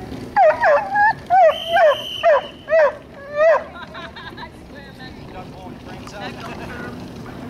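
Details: Loud, rapid barking from the Welsh Corgi John, about seven sharp, clipped barks in quick succession, then quieter voices and ambient noise for the remaining seconds.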